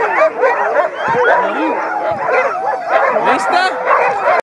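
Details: Sled dogs at Mendenhall Glacier, Alaska, September 2015, howling as a group, a tangle of wavering howls and short yelps, with a person talking over the chorus.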